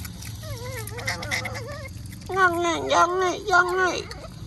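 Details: Otters fed mullets near the mangroves at mealtime make wavering, warbled cries that bend up and down, growing louder and more tangled in the second half.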